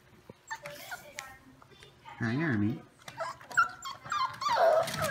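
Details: Five-week-old foster puppies playing in the morning, indoors: thin, high squeaky whines that bend up and down, clustered in the last two seconds, with a low human voice speaking between them.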